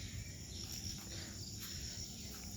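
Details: Crickets and various other insects calling from all around in a village bamboo grove after rain; a steady high buzzing hum with faint shimmering chirps over low rumbling background noise.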